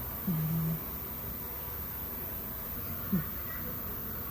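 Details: A cat snores while asleep: one low, buzzy snore lasting about half a second, then a short soft snuffle a few seconds later, with quiet room hiss throughout.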